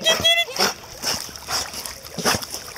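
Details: Doberman Bubba "singing" while chasing a toy in a warm-water swimming pool at Rummy's Beach Club, Spring, Texas: a brief high, tonal whine held for half a second at the start, then steady splashing of water.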